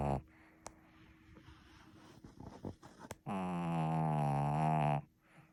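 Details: Sleeping Shih Tzu indoors: soft breaths and faint clicks and rustles at first, then a sudden loud, sustained droning snore lasting under two seconds before fading back to quiet.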